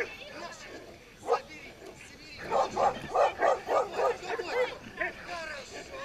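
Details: Pit bull in a tug-of-war game: after a single sharp yip, a rapid run of repeated harmonic barks comes about three to four per second, then trails off into scattered higher yelps.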